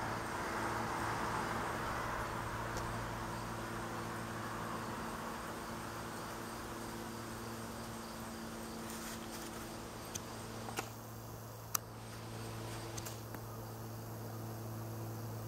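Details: Honey bee swarm gathered in a tree beside a house in Newcastle, Ontario, giving a steady low droning hum with layered tones; a few sharp clicks and knocks near the end.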